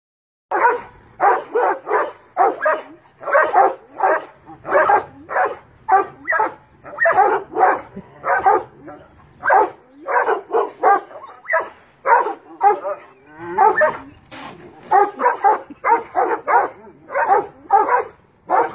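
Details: Large dogs barking at a cat up a tree, a rapid run of loud, broadband barks repeated roughly twice a second, overlapping in places as several dogs call together.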